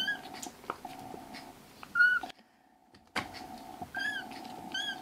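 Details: Indoor foster kittens, rescued young cats, let out two short squeaky mews a couple of seconds apart, one sharp and bright, the second softer, against a continuous low tonal hum with a brief silent break.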